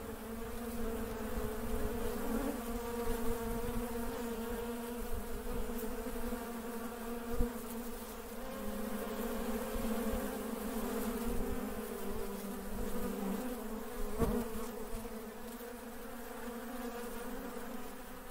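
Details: Honey bees working create a sustained, layered buzzing hum that rises and falls gently in volume, punctuated by a couple of sharp taps.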